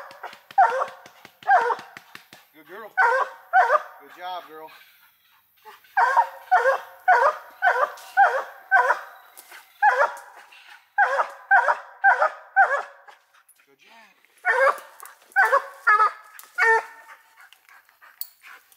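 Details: Coonhound named Hope barking on a raccoon hunt, her final hunt with her owner: loud, ringing barks in quick runs of three to six, about two per second, broken by short pauses and a few whines, with a person speaking faintly.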